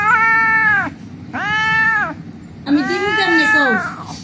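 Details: Injured cat lying on a street, crying before being taken in for treatment: three long, loud, drawn-out meows, the last one wavering and rough, over a steady low hum.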